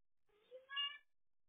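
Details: Domestic cat, one of two pet cats named Stan and Olive, caught on a home cat camera on 12–13 July 2023, gives a single short meow: a brief low note sliding into a brighter, harmonic-rich cry lasting about half a second, otherwise quiet.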